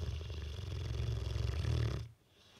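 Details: Bullmastiff asleep with twitching face, giving one long, low, rattling snore that stops abruptly near the end.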